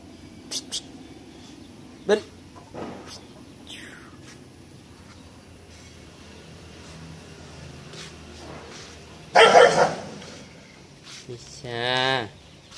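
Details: Phu Quoc Ridgeback puppies offered for sale, a yellow one among them; a short harmonic yelp-like whine near the end follows an earlier loud noisy burst, with scattered clicks, thumps and some human voice around.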